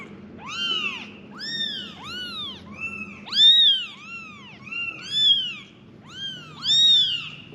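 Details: Five kittens cry out for their mother with a rapid run of about ten high, arched mewing calls, some overlapping as several kittens call at once, loud and insistent over faint low background noise.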